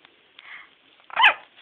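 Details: Yorkshire terrier puppy trying to bark while walking: after soft faint sounds, one short, high, sharp yip near the end, with a woman coaxing the puppy just before and after.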